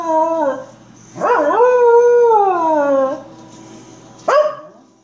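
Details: A corgi howling at the TV show Better Call Saul gives a long, rich, wavering howl that swoops up, holds, then slowly slides down, with shorter howled notes and a brief yelp around it and a faint background hum.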